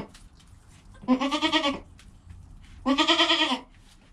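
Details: Two loud, bright, vibrato bleats about two seconds apart from Joel, a newborn goat kid recorded in his first hour of life, his mother Penny close by.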